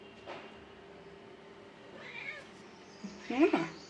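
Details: A domestic cat meowing indoors in a quiet room: a soft, faint call midway, then a louder, short meow that rises in pitch and drops away near the end.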